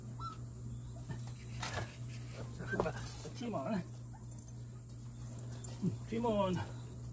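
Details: Month-old Jindo–Tosa cross puppies, among littermates getting their first combined vaccination, whimpering in their sleep: a string of short wavering high whines in bursts, the longest near the end, over a constant low hum with some quiet talk.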